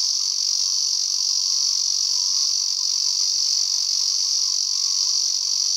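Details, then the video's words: One male Ezo cicada, encountered while walking in the mountains, produces a constant intense high-pitched buzzing with no pauses, a faint throbbing pulse woven through the drone. "エゾゼミ(♂)の鳴き声 ～Sound of a Lyristes japonicus ～"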